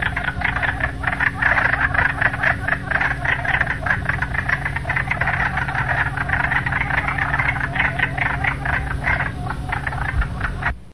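A chorus of wood frogs gives dense, duck-like clucking croaks that overlap without pause.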